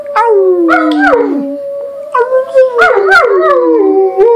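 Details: Dogs and kids howl as a group: long tonal wails stacked over one another, some falling steadily, others rising and bending, all held almost without pause.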